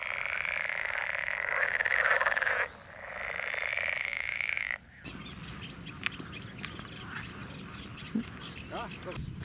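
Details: A dense chorus of croaking frogs in a marshy polder, Noordpolder near Ossendrecht on the Brabantse Wal, in May: rapid, overlapping rattles for about five seconds, briefly dipping once, then quieter outdoor background with faint clicks.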